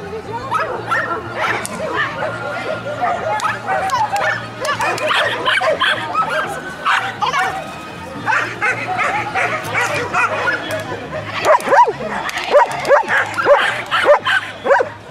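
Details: French Bulldog named Anjy at an agility competition in Herentals, Belgium, giving bursts of sharp, repeated barks in quick series, with people talking nearby and faint music in the background.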